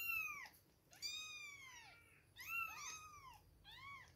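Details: Two-week-old kittens at milk time, calling with high, thin meows that rise and fall in pitch, several overlapping, in short bursts separated by brief pauses indoors.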